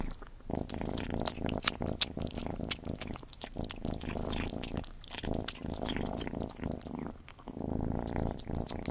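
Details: While Gordy the cat eats, a dense low purr rumbles under rapid crunching and smacking sounds, with short gaps in the chewing.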